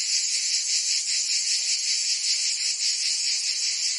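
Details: Cicadas chirping in summer in Provence, France: a close, intense high buzzing with fast wavering pulses and nothing else audible.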